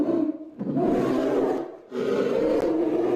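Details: Polar bear roaring twice, two long gravelly, throaty roars separated by a brief dip, each broad and harsh with no clear tonal pitch.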